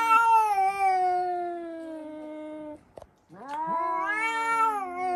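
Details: Indoor cats screaming, reportedly triggered by spotting another cat outside: long loud harmonic yowl sliding slowly downward for nearly three seconds, brief pause, then a second rising-falling wail.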